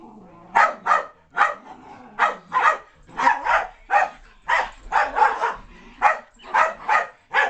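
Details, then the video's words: Playful Keeshond Loki chasing Spike, a mixed-breed companion, around the house, with a steady stream of rapid, sharp barks repeated roughly twice per second throughout. "Keeshond chasing a Mutt"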